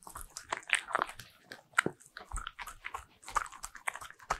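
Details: Bichon Frise dog indoors eating butter-ring cookies, recorded as ASMR; sharp crunchy bites and wet chewing clicks come in quick irregular bursts, with a quiet room behind.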